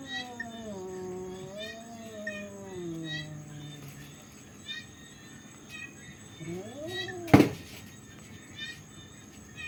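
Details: Fighting cats making a low, moaning growl-yowl that slowly sinks over four seconds, then a quieter rising moan, with a sharp knock partway through.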